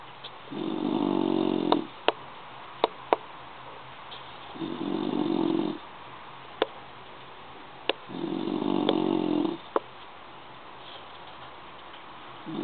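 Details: Snoring bulldog, asleep, producing three rough, rattling snores at steady intervals of about four seconds, with several sharp clicks scattered between breaths.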